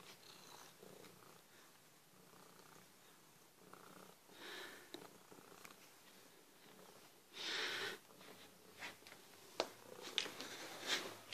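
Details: Pet cat Skittles purrs indoors while being patted, a soft steady rhythmic rumble under rustling hand strokes, with a louder brushing burst midway and several sharp clicks near the end.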